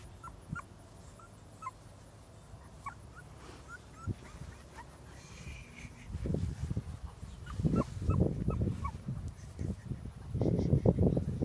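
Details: AKC English Bulldog puppies from a blue sire give short, high squeaks and whimpers, repeated in quick irregular bursts.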